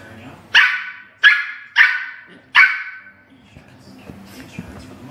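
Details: Dogs playing rough on a couch, one pulling the other's hair; four sharp, loud barks in under three seconds, each with a quick fading tail, followed by quieter shuffling and faint voices.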